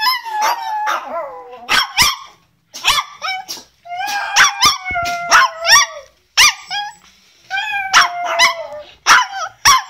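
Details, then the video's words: Chihuahua singing: a busy run of short yips and falling yelps repeated in quick bursts, mixed with a few sustained wavering howls lasting about two seconds, with short pauses between phrases. "Chihuahua qui chante"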